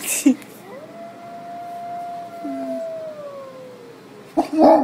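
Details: A long, smooth howl holds steady for several seconds, then slowly sinks in pitch and trails away, as a Harlequin Great Dane reacts, confused, to a Halloween track of wolves howling played on an iPad.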